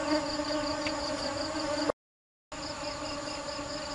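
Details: Bees busily foraging for nectar give a steady, low droning hum with layered overtones, a rapid high pulsing trill running over it; the recording drops to silence for about half a second midway.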